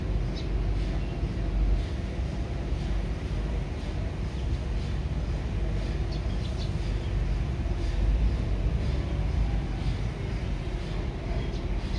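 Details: Continuous low engine-like rumble resembling a train or vehicle, with faint distant voices and no animal sounds.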